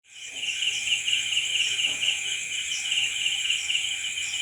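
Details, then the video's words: Crickets at night: a dense, unbroken chorus of high, rapidly pulsed chirps, with a steady shrill trill layered above and soft throbbing beats repeating about every quarter second. "Night Cricket Sound Effect"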